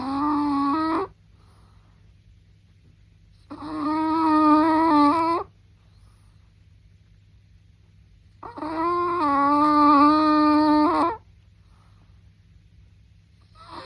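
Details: Chihuahua snoring indoors: three drawn-out, nasal, whine-like tonal breaths, each lasting one to two seconds and spaced several seconds apart, with quiet pauses between them and a faint steady low hum underneath.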